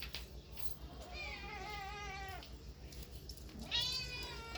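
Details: Cats and kittens meowing, two clear harmonic meows: a long one falling slightly in pitch and ending abruptly, then after a pause a second starting high and sliding down, with a constant low hum beneath.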